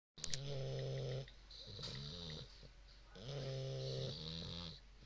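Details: An English Bulldog puppy, one of two snoring side by side, snores in deep, rumbling cycles, each harsh inhale lasting about a second.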